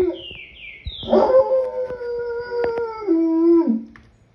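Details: Single wolf howl: a few faint chirps at first, then a strong, steady, drawn-out mid-pitched note held for about two seconds before stepping down to a lower tone and fading out.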